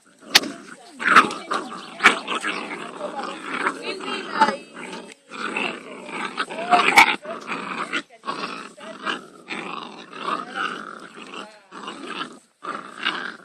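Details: Playing Labrador Retriever puppies aged five weeks in a garden keep up a dense, near-continuous stream of squeaky growls, whines and snarls, with sharp knocks and brief pauses.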